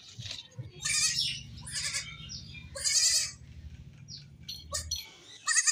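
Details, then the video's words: Baby goats at play, a kid described as crying without its mother: several short, strained, quavering bleats come in bursts, some rough and breathy, with a low rumbling hum underneath. "3 Baby Goats sound effect videos 2022 | Cute Baby Goat Playing And jumping"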